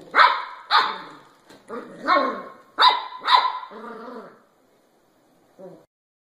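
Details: Puppies barking: about five sharp, fairly full barks in the first four seconds, a softer whine trailing after, then near silence with one faint final yip.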